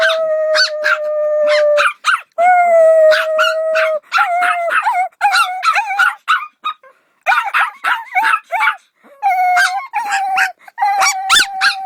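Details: Dog howls at the start, then rapid choppy yips and short barking bursts come in irregular runs, mixed with brief howled notes.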